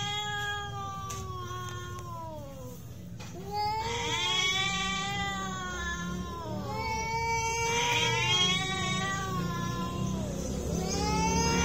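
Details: Two domestic cats in a genuine fight: overlapping moaning yowls that bend up and down, growing denser and louder toward the end, with a steady low rumble throughout.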